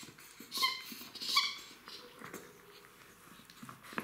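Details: Three-month-old Jack Russell Terrier puppies playing with their mother indoors; two short high whining yelps with clear harmonic tones about a second apart, followed by soft scuffling and rustling of play.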